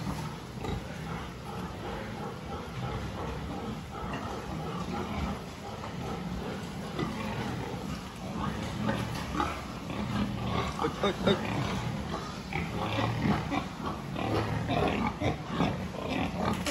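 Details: Pigs during a farm health check on 26 October 2023, a dense chorus of low, rough grunts and snorts overlapping continuously, louder bursts toward the end, with steady background barn noise.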